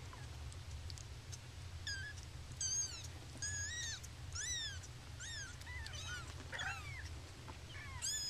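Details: Happy baby kittens, yawning and stretching, give a run of high, thin mews, each rising then falling, from several overlapping voices at roughly one per second, over a steady low hum.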